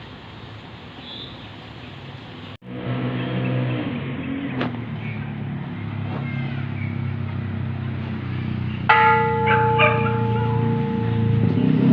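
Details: A temple bell is struck and rings out over a steady engine-like hum and faint background noise, and no animal is audible.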